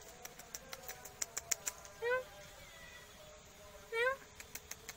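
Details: Sweet black cat meowing twice, about two seconds apart, each call a brief upward-sliding cry, while light ticking and tapping sounds continue around it.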